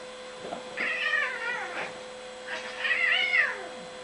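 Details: Bengal cat Fiona during a vicious cat fight. Two drawn-out, wavering yowls, each about a second long, rise and fall in pitch over a steady electrical hum.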